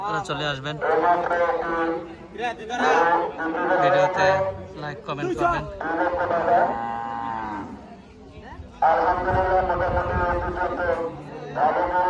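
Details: Cattle at a cow and goat market on the Dhanpati Khola primary school ground. Long, drawn-out, steady moos rise out of dense chatter from men talking all around.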